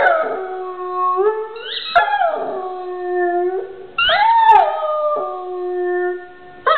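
A dog howls in long, wavering tones that slide up, then hold and sag in pitch.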